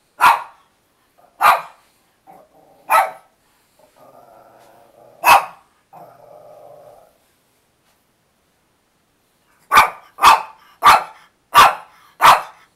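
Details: Pet dog Chloe demanding her filet mignon flavored chewy treats indoors: sharp single barks spaced a second or more apart, a low rumbling growl lasting about three seconds, then a rapid burst of five barks.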